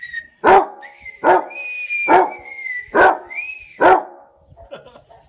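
A Basset Hound gives five deep, booming barks, roughly one every eight-tenths of a second, with a whine between.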